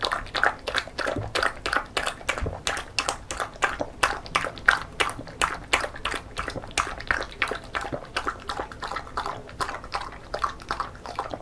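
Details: Female Beagle dog born December 2016, eating homemade banana porridge indoors in a mukbang-style recording; rapid wet lapping and chewing clicks repeat about three times per second, sticky and smacking, in a quiet small room.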